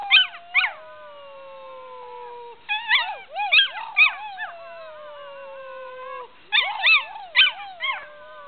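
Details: A 6-month-old medium Australian Shepherd puppy learning to howl gives high, thin howls that slide slowly downward between bursts of sharp yips.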